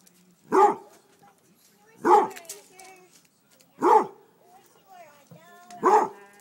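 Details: Four single, deep, chesty barks, roughly one and a half seconds apart, from a Basset Hound barking at chicken thighs just taken off the grill. Faint whines come between barks.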